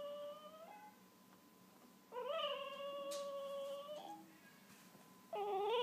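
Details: Wolf hybrid puppies, two weeks old with eyes newly opened, cry in sustained tonal whines. One is long and level at about two seconds, others are shorter and end with a brief upward bend, separated by quiet pauses indoors.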